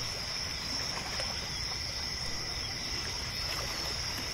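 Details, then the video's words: Crickets singing at night at a lakeside pier, a steady high-pitched trill without pauses, accompanied by gentle water lapping, as against a boat or shore. "Lake Sounds at Night | Crickets"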